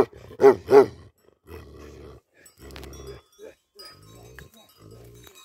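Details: Tibetan Mastiff, a livestock guardian dog in Nepal, gives two loud, deep barks close together, then low, muffled growl-like sounds and quieter murmuring.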